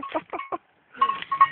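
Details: Sheep bleating while eating potato chips, two bursts of quavering, nasal bleats separated by a short silence, the second burst with a steadier tone.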